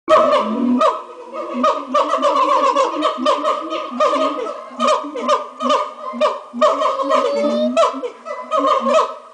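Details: Monkeys giving their morning chorus at a zoo, a loud, raucous racket of overlapping hoots and wavering wails on steady tones, with rapid staccato barks breaking in between.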